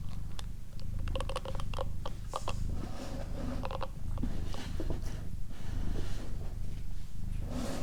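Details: Doroti, a female pet cat, purring indoors for an ASMR recording: a steady, low rumbling throb with soft, even pulses, plus scattered small clicks and rustles close to the microphone.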